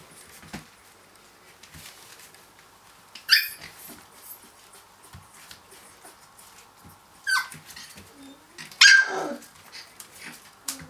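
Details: Finnish Lapphund puppies aged three weeks playing after breakfast; three separate high, squeaky yelps stand out over soft scuffling and thumping of small bodies moving around indoors.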